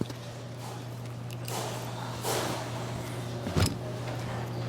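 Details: Low steady electrical hum, with a sliding door rush and a short thump indoors, and no animal calls.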